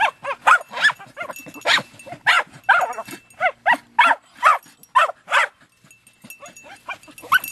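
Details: Two female Jagdterriers, a mother just over two years old and her six-month-old daughter, work an armadillo in hot, dry weather after seven weeks without rain. They give sharp, loud barks in rapid bursts of two to three a second, with brief pauses.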